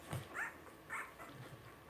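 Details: Blenheim Cavalier King Charles Spaniel puppy, one of a litter of five born on New Year's, indoors in a home puppy pen during potty training; two short high whimpering yips about half a second apart, with soft background noise.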